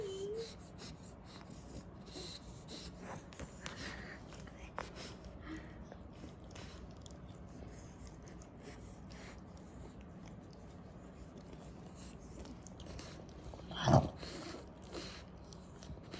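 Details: A sleeping French Bulldog snores with a low, wheezy rumble that holds steady under soft rasping breaths, broken near the end by one sharp, loud snort.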